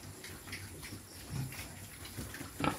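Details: Native Quezon black pigs, two of them recovering body condition ahead of a boar's visit, give faint low grunts near 1.4 and 2.6 seconds, the second sharper, over steady room hiss and scattered knocks.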